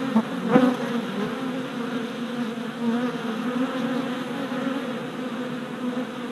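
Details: Worker honey bees on orientation flights at a new deep hive, four days after a package was installed, late April: a dense, steady swarm buzz with a strong low hum and overtones, one louder bee passing close near the start.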